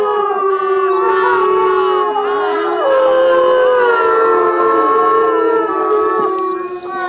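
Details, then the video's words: Captive timber wolves at Asahiyama Zoo in Japan howling together, several long sustained voices overlapping at different pitches, some gliding slowly up or down, forming a continuous layered chorus without pause. "Howling Timber Wolves at Asahiyama Zoo"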